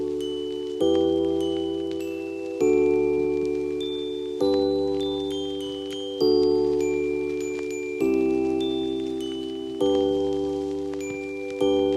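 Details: Bright chime and mallet tones ring out in overlapping sustained notes, a new cluster struck roughly every two seconds and then decaying, with no animal voice heard.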